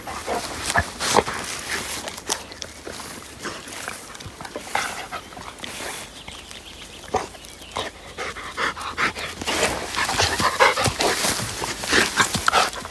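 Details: Cedric, a Labrador Retriever, out on a trip to the Sylvenstein reservoir in Bavaria, where he fetches his toy lighthouse. Ragged, breathy panting bursts run throughout, with a few thin, high whimpering tones near the end and rustling outdoors.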